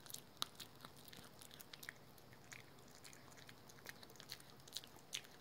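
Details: Pet dog named Rookie eating a dental chew at home, with sharp crunching and clicking bites scattered irregularly throughout, several per second at times, over a soft indoor hiss.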